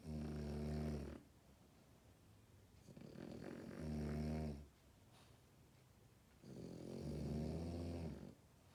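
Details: Sleeping French Bulldog puppy snoring indoors: three long, low, rattling snores, each about a second, separated by quiet breathing pauses of roughly two seconds.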